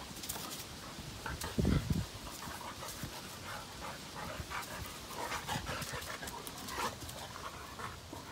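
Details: Playing Labrador Retrievers, dad Cash and son Kaody: one strong low, throaty burst early on, followed by steady, quick panting.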